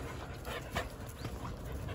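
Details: Breathy panting from Jindo dogs at home on a winter Saturday morning in December, soft rhythmic huffs with one stronger puff midway, set against a steady low rumble.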